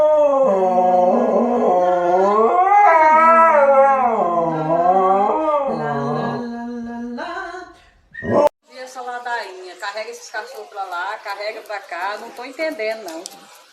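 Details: Dog in a pet compilation howling in long, wavering, sliding tones that rise and fall for about seven seconds. A sharp knock follows, then choppier, speech-like vocal sounds.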